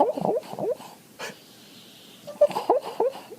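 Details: Snoring puppy whose sleepy noises were first mistaken for a purring, snoring cat: short wheezy, squeaky snuffles in quick irregular bursts, a quiet pause, then another cluster of snorting squeaks, in a small indoor room.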